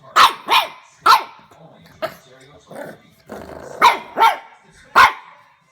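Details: Young French Bulldog puppy indoors, barking at a door stopper it has discovered; loud, short yapping barks in pairs and singles, with a soft growling stretch in the middle.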